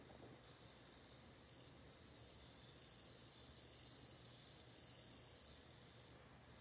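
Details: A bell cricket sings one continuous high, pure, bell-like ringing note lasting about six seconds, swelling in small pulses of loudness, with a quiet background.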